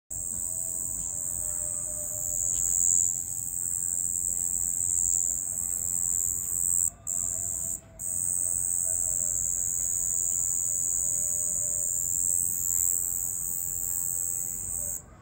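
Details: Crickets at night make a steady, very high, shrill trill that runs on without a break except for two brief gaps, over a soft low background hum.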